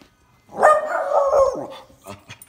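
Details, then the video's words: One of two miniature schnauzers welcoming its owner home with a drawn-out, mid-pitched, harmonic moaning howl of just over a second, sliding slightly downward, followed by soft scuffling sounds. "What it is like when I come home to two miniature schnauzers"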